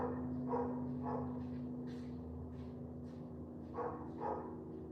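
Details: Toby the dog out on a wet morning walk, letting off a run of short, sharp barks, about eight in five seconds and loosely spaced, over a steady low hum.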